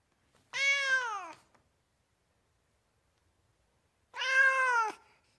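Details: Domestic cat, described as American, with two clear drawn-out meows about three seconds apart. Each is bright, rich in overtones and slightly falling in pitch, with silence around them.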